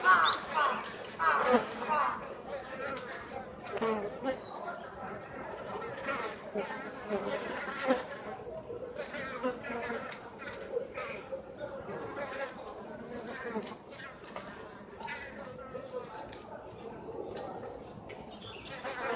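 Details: Japanese honey bees at Osaka Castle, an overwintering colony that escaped hornet attacks, leaving the hive to forage on a mild late-autumn day. Several bees make overlapping droning buzzes that swell and fade as they fly past, with soft background noise.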